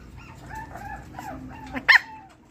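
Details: Pomeranian dogs whining in thin, wavering tones, ending in one abrupt sharp bark, over a quiet low hum.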